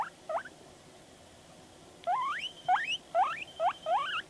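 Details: Pet guinea pig Panda reacting to videos: two brief squeaks, a short silence, then four loud sliding whistles that climb steeply in pitch, each about half a second apart.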